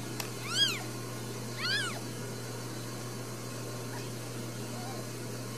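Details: Newborn Ragdoll kittens, part of a litter of four in a home cattery in central Kansas, raised without cages: two high, arched mews about a second apart, then quiet with a steady low hum.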